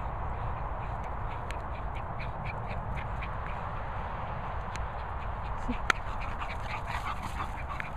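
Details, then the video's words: English Bulldog Hugo romping wildly with Bichon Peppa: short nasal, quack-like grunts and snorts come in irregular bursts, set against a steady low rumbling background noise. "English Bulldog Hugo on a mad one with Bichon Peppa."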